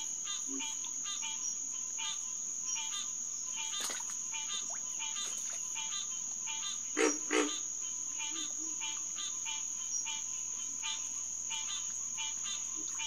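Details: Night chorus of green tree frogs (Hyla cinerea), SMNWR Headquarters Pond, June 2, 2021, 9:10 pm: rapid honking notes, about three per second, under a continuous high insect tone, with two louder, deeper calls near seven seconds.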